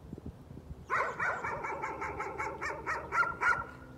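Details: Dog barking as a nuisance, going on for half an hour: a rapid run of sharp, evenly pitched barks, about three or four per second, starting after a quiet second and continuing to the end, outdoors.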